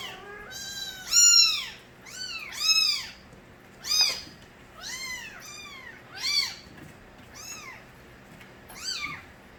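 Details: Nabi's stray kittens cry out: roughly nine short, sharp, high-pitched mews, each arching up and down, repeated every second or so, the loudest near the start, against a quiet background.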